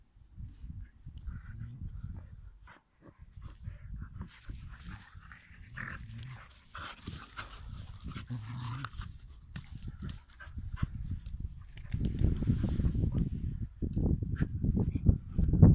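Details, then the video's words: Pit Bulls play fighting, irregular low growls and huffing pants, quieter at first then building into louder, sustained rumbling snarls toward the end, scuffling sounds between bursts. "DOG FIGHT"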